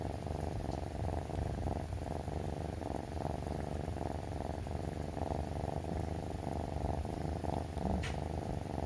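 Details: Rescued three-month-old male brown tabby kitten purring indoors while rubbing against its owner in the morning, from waking until food is ready; steady low rumbling purr throbbing in regular breath cycles about twice a second, with a few faint soft clicks.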